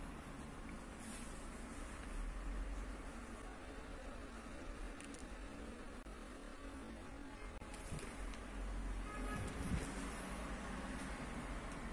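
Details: Steady low rumble of vehicles and urban outdoor noise, with faint scattered clicks and no clear voices or animal calls.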